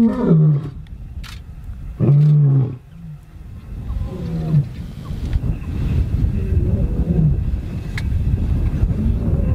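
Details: Male lions in Chobe National Park, Botswana, young males challenging older males; three deep harmonic bellows in the first five seconds, then fainter calls under steady low engine-like rumble.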